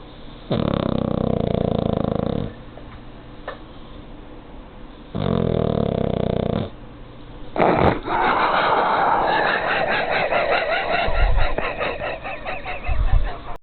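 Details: Pug sleeping in its owner's arms gives two long, buzzy, low snores with quiet gaps between them, followed by a stretch of noisier, rustling, snuffling breathing.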